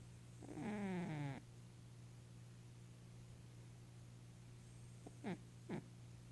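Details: An 11-year-old female Maine Coon with hyperthyroidism and kidney disease, snoring and dreaming in her sleep, gives a low, voiced snore that slides downward over about a second. Two brief, soft snorts follow over a steady background hum.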